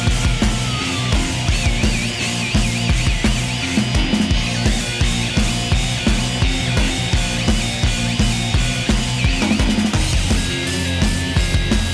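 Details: Loud heavy rock music with pounding drums and distorted guitars throughout, no animal voice audible.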